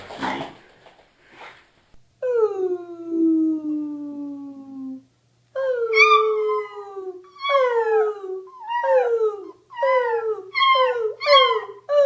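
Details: Beagle in a home setting: a brief noisy burst, then one long howl sliding slowly downward for about three seconds, followed by six shorter baying howls that each rise and fall, with short gaps between them.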